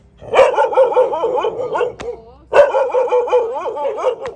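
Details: Dog at a friend's house in Thailand, giving two bursts of rapid, wavering high-pitched yelping barks, each run lasting about two seconds, with a sharp click between them.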